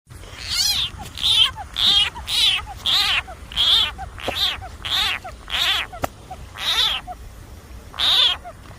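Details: Frog facing a snake, giving a series of loud, cat-like wailing cries that drop in pitch, about a dozen in nine seconds at uneven spacing, with a faint low hum underneath.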